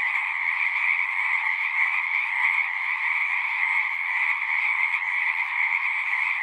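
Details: Massed frog song as a natural night-style chorus: countless overlapping trills merge into a constant high, rasping drone with a second lower band, level and uninterrupted from start to finish.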